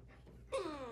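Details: After a moment of quiet, a female rescue puppy, a Basenji-Husky mix, yodels instead of barking: a short, ringing, rich voiced note that starts fairly high and glides steadily lower, with no bark-like burst.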